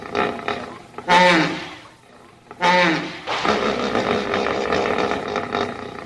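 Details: Two loud wheezy bellows from a hippopotamus, separated by a short quiet gap, then a long coarse grumbling roar that continues to the end.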